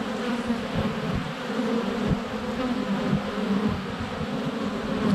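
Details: Bees flying in and out of a honey bee hive entrance on a sunny February day, GoPro Hero 7 Black at close range; steady, rich humming with fluctuating tones and occasional soft taps against the camera.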